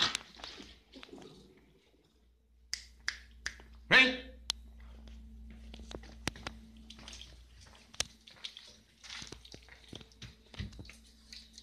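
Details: Sharp clicks, snaps and soft rustling sound over a steady low hum in a quiet room. No animal voice can be picked out.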